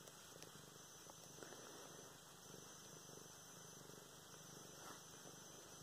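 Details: Luna, a pet cat, purring while being petted indoors, filmed November 24, 2016; a soft, steady low rumble runs through the whole stretch with faint rustling of handling.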